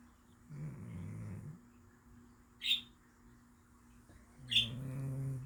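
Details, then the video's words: Cat in deep sleep, snoring: a low, rough rumble on one breath, a quiet pause, then a sharp high squeak that leads into a second droning snore, with another squeak between them. "Cat snoring in deep sleep!"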